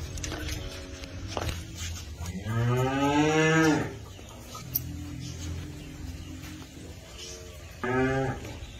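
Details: Holstein Friesian heifers kept for sale: a loud, rich harmonic moo swelling and falling over about one and a half seconds, fainter calls around it, and a second short loud moo near the end.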